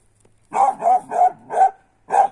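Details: A 10-month-old female griffon puppy, trained on roe deer and wild boar blood trails, gives five short, hoarse, mid-pitched barks in close succession, the last after a brief pause, while retrieving a wild sow at the end of a blood trail.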